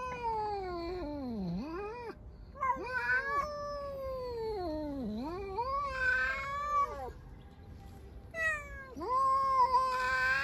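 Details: Loud meowing from hungry, aggressive stray cats, four animals living outdoors, trying to attack each other; long harsh meows dipping low then rising again, overlapping in quick succession.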